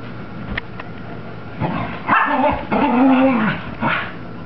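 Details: Cocker Spaniel Mocha, a female dog on post-bath zoomies, gives a couple of faint clicks, then a drawn-out nasal whining growl with a wavering tone, two louder bursts near the middle and a final shorter one.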